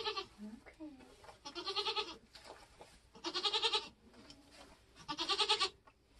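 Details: Nigerian goat in labor on a homestead in kidding season, bleating three times about every two seconds, each call a strained, quavering, harmonic-rich cry, with softer grunting noises and faint rustling between them.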